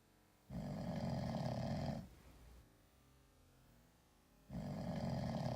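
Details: Sleeping domestic cat snoring indoors, with two long rasping, rumbling snore breaths, each about one and a half seconds, separated by a quiet pause of soft breathing; deep and steady, likened to a human snore.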